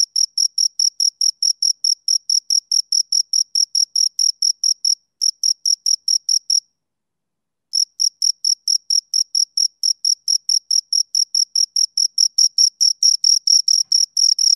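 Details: A pair of crickets keeps up fast, regular shrill chirps, about two and a half each second, broken by a short gap and then a longer silence of about a second before the rhythm resumes, growing slightly louder near the end.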